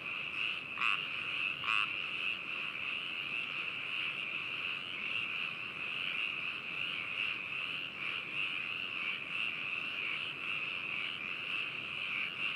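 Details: Frog chorus at Hakushu in Hokuto City, Yamanashi Prefecture, Japan, captured 4 May 2018 with binaural adphox BME-200 mics and a ZOOM H2n: two sharp, close croaks early on, then a steady ringing background of many calling frogs.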